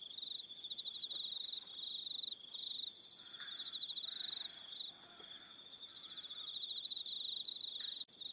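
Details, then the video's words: Evening cricket chorus on Aroha Island, New Zealand, a dense high pulsing trill overlaid with faster upper chirps, plus faint lower whistled notes in the middle and a short click near the end. "Relaxing Evening Sound of Crickets"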